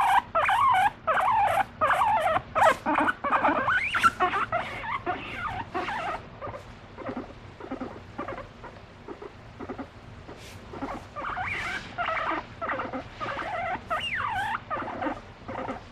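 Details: Guinea pig kept as a pet, seeking attention from its owner and expressing emotion: a mix of rapid squeaky chutters and whistles early, a quieter rhythmic murmuring patch in the middle, then wavering whistled calls returning near the end.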